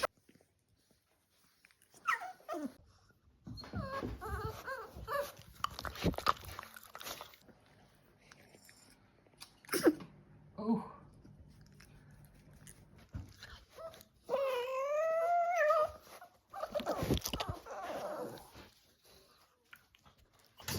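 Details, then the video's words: Playing Staffordshire Bull Terrier puppies make mixed growls, snuffles and a long wavering high whine that rises and falls, amid bursts of scuffling and rustling play noise indoors. "Puppy barks, growls, sneezes, yawns, snores and general cute puppy dog play."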